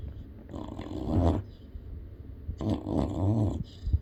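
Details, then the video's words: Sleeping yellow Labrador Retriever puppy giving two deep, rumbling, growl-like snores, each about a second long, with quiet breathing between them in a small room. "Snoring Yellow Lab Puppy"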